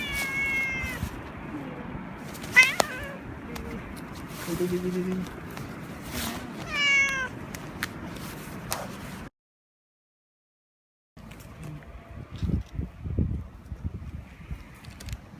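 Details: Male cat in heat, rubbing intensely, lets out several wavering, downward-sliding meows in the first half, with a brief low tonal sound between them, then a short silence and faint rustling and thumps.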